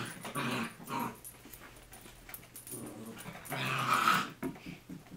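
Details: Playful growling from two small dogs wrestling in an office, a chihuahua-mini pinscher mix and a toy fox terrier-yorkie mix, March 2011; rough, throaty growls rise into a louder, harsher snarl near the end, with pauses and shuffling between.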